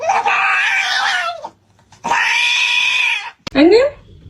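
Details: Pet cat indoors letting out two long, harsh, drawn-out yowls, each about a second and a half, separated by a short pause, followed by a quick rising squeak.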